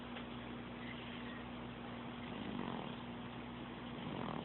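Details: Sophie, a pet cat, snoring and purring in June 2012, captured on an Android phone; a soft, low, steady rumble under hiss, with faint breath swells near the middle and end.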